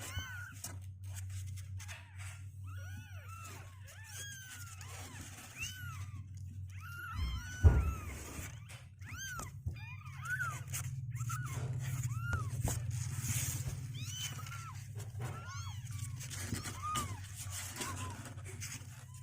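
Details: Two-week-old kittens on day 16, legs growing stronger and unwilling to stay in their box, give many high arched mews in quick overlapping succession, some sliding downward, over a steady low indoor hum.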